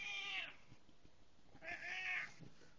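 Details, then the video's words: Pet cat Buster greets his owner on arriving home with two meows: a brief bright one, then after a pause a longer, wavering meow. The owner keeps talking softly to him indoors. "Buster talking when I come Home"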